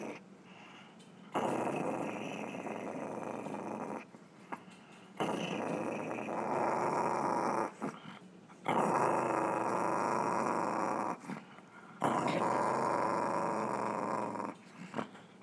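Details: Chihuahua making a weird noise, heard as long bouts of harsh, throaty rasping growl, each about three seconds, separated by brief quiet pauses, four bouts in all.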